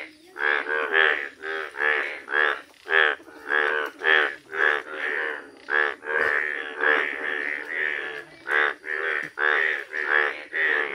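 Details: Rare yellow Indian bullfrogs call in nature with deep, nasal, rhythmic croaks, each a short grunting pulse repeated roughly twice a second, steady and loud throughout, another frog faintly answering behind.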